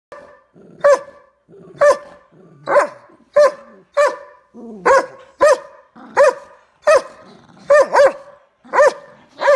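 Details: Big Doberman barking at a smaller dog in the household: about thirteen loud, deep, clipped barks at a steady pace, some in quick doubles, with a few soft growly sounds between them.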